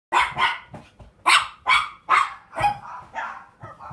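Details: Miniature Schnauzer puppy at a pet shop in Japan, giving a run of sharp, high barks, about seven in four seconds at uneven spacing, the last few softer and shorter.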